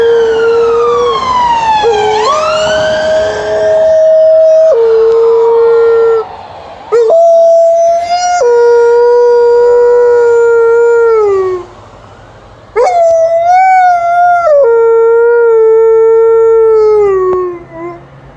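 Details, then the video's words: Alaskan Malamute on a walk giving a very long series of howls: sustained tonal notes that waver, step up and slide downward, with rich overtones and a few short breaks, loud and clear throughout. "A very long howling by Alaskan Malamute during a walk"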